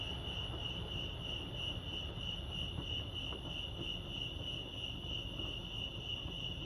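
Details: Chorus of crickets at Lake Arrowhead in California, a continuous shrill, evenly pulsing trill holding one high pitch from start to finish, with faint low background rumble beneath.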